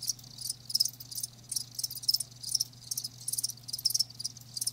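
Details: Several live crickets chirp in overlapping high-pitched trills, pulsed groups repeating about twice a second, with a faint constant low hum underneath.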